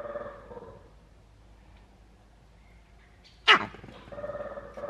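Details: Male green monkey calling in a zoo enclosure in Novosibirsk, 13 June 2023; after low murmuring and quiet, one abrupt, piercing bark-like cry bursts out, followed by faint background voices.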